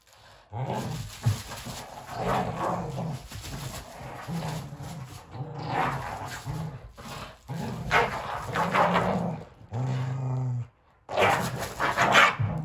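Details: Sully the Boston Terrier and Kumo the Keeshond fight at full throttle over a worn, broken toy, giving deep throaty growls in repeated bursts of a second or two, with rough snarling edges and brief pauses between.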